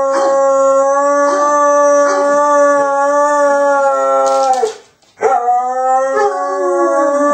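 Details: JB, a pet dog left alone by his owner, howls in a long, steady, even-pitched tone for over four seconds, a short silent gap for breath, then resumes with a slightly falling, wavering howl.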